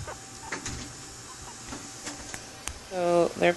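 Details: Guinea pigs put together for the first time in a long playpen: near the end, a series of loud, harmonic squeals with wavering pitch, preceded by soft rustling and clicks in a quiet room.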